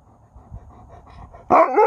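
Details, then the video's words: An Alaskan Malamute answering when spoken to, outdoors on a warm morning walk. Low murmur and rustling give way to a sudden loud, wavering woo-woo vocal lasting under half a second, with bending pitch and strong overtones. "A Dog that Talks Back when Spoken to!"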